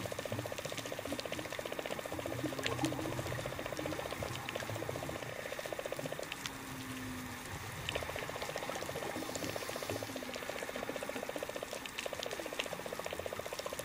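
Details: Underwater whale song recorded off Cap Lahoussaye on 20 July 2013: low, drawn-out moans over a steady pulsing throb and crackling sea noise.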